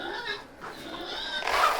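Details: Farm pigs on a fall morning scream in harsh, strained bursts that grow louder toward the end. They are impatiently waiting, and one pig, Charlie, is the loudest.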